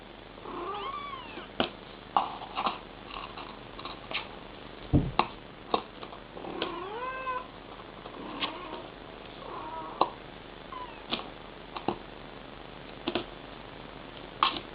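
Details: A mother cat calls to her kittens with drawn-out, bending meows and chirping trills, mixed with sharp clicks and taps in a small room.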